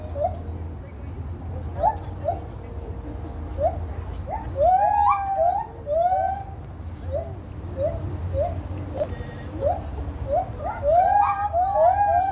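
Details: Monkeys at Santa Ana Zoo, said to come from Sumatra, Indonesia, give a series of rising, whistled hoots. The hoots come in bursts that quicken and overlap around the middle and again near the end, over a steady low hum.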